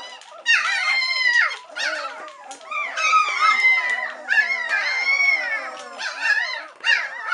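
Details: Hungry White Swiss Shepherd puppies, three weeks of age, calling for mother Cova to return and nurse; long high wails that hold and slide, from several pups together, in waves roughly every second or two.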